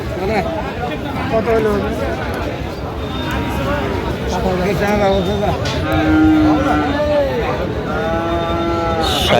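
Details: Friesian and cross-breed bull calves and cattle being bought and sold at the Raniganj market in Dinajpur on 20 December; a drawn-out, curving moo rises above steady crowd chatter and men talking throughout.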